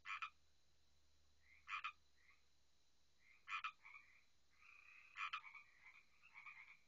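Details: Frogs calling loudly at night near a backyard pond, heard from the house; short double-pulsed croaks repeat about every one and a half seconds over softer trilled calls from other frogs, with a faint low hum underneath.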